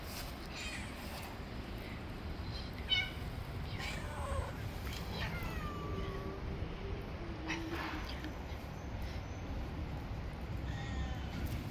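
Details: Male cat biting a finger after being given food late, giving a few soft, drawn-out meows that slide down in pitch, spaced through the clip over a steady low background rumble.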